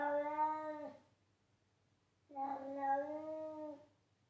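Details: House cat meowing loudly: a level meow followed after a short silence by a longer, slightly wavering second meow of about one and a half seconds, over a faint low hum.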